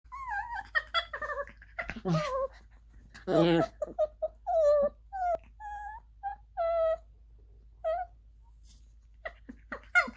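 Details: Two dogs at play, a nine-month-old Maltipom (Maltese-Pomeranian mix) and a Lhasa Apso-Chihuahua mix, give odd, tonal whines and yodelling moans, with a voice heard briefly.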